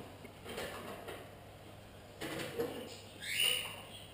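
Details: Pug cross puppies: soft rustling and shuffling movements lead into a short, high squeak near the end. A low room hum runs beneath.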